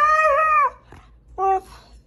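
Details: ['A Siberian Husky singing with a clear, steady, slightly wavering howl-like note for under a second. After a short pause it gives a second, shorter and lower tone.']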